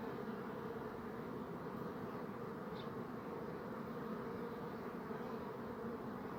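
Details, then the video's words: A swarm of bees buzzing together, giving a deep continuous hum that never pauses; one short high tick sounds midway. "Bee Buzzing Sound"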